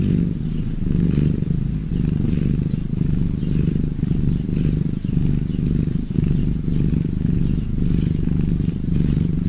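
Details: Cats purring: a steady, deep, throaty rumble that swells and eases in slow rhythmic waves about once a second, continuous throughout with no other clear sounds.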